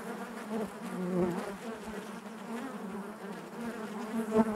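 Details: Honey bees droning within their hive give a soft, continuous hum with stacked overtones, rising slightly in the first second and again in a short louder swell at the end.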